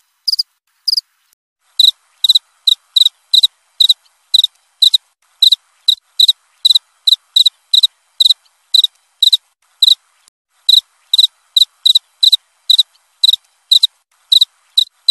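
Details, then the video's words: Two isolated high chirps from a cricket, then a brief pause before steady chirping resumes at roughly two per second, each burst sharp and pulsed, against a silent background. "Suara jangkrik krik.. krik.."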